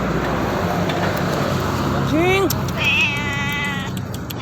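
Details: Feral cats calling: a short, low, bending cry followed by a long, quavering, rising-and-falling meow, over constant rumbling background noise.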